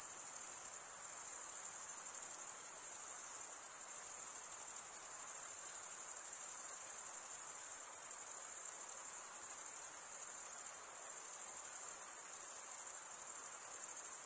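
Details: Crickets stridulating in a dense, continuous high-pitched trill that barely varies in level, with a soft hiss of lower background noise and no other clear sounds.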